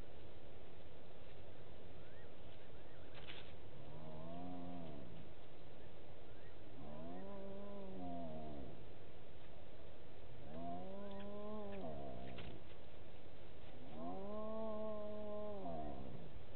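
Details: Hyenas heard at night around 19:33 on 09/10/18 from the Gowrie dam waterhole camera in Djuma Game Reserve, South Africa; four long, rich moaning calls, each rising then easing off, spaced about three to four seconds apart over low background rumble.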